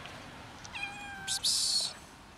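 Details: Three-legged black she-cat begging for food gives one short, clear meow, followed at once by a loud hissing 'psst' from a person calling her.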